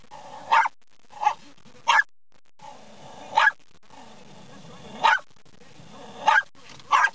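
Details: Pet dog barking at windshield wipers: sharp barks spaced one to two seconds apart over a steady whining, humming background.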